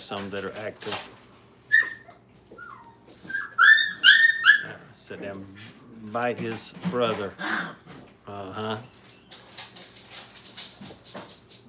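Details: High, thin whines from five-week-old Brittany puppies in crate training, several quick rising-and-falling cries clustered together, followed by lower whimpers, with a human voice breaking in between.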